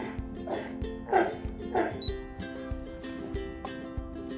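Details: Three sea lions at Smithsonian's National Zoo give loud, hoarse barks in short bursts while steady music plays underneath, yelling at each other as they jostle for spots on the sleep rack.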